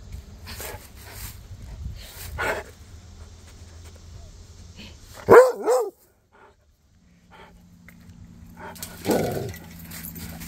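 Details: Cody, a Rhodesian Ridgeback, trades calls with Duchess and the neighbour dogs. Soft distant barks give way to two loud, ringing barks in quick succession, a quiet pause, then one more rougher bark over a steady hum.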